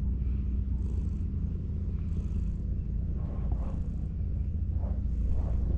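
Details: Ginger tabby cat leaning on a wall, belly exposed, purring loudly and steadily as a hand strokes it; hushed brushing strokes recur roughly every second over the low continuous rumble.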